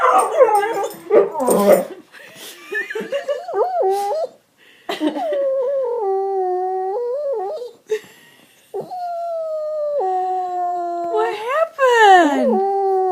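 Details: Upset dog in a tantrum over a bone pushed under the sectional: a mix of yips, whimpers and sustained wavering howls with flat held tones, ending in a rising then falling whine.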